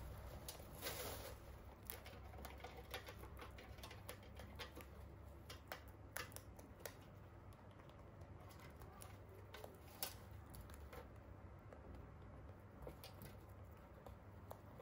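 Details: Pet Holland Lop rabbits eat hay in a small room, making scattered crisp snaps and rustles at an uneven pace against a soft hum.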